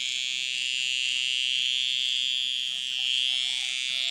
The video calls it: Fuerte sonido de chicharra